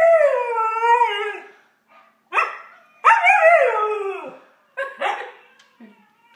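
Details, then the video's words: Domestic dog howling to another dog: long wavering harmonic howls that slide downward, broken by short yelping bursts and pauses, with a second howl rising then falling. "howling to Koa"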